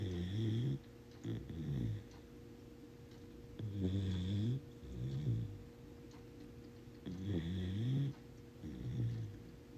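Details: A sleeping corgi puppy snoring indoors: low, rough, rattling snores in two-part breaths, each lasting about a second and coming in pairs every few seconds, over a faint steady hum.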